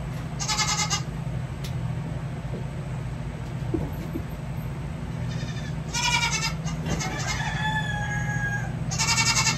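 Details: Baby goat kids during hoof trimming, giving a few short vibrating bleats spaced several seconds apart, with a steady low hum and a woman talking softly to them.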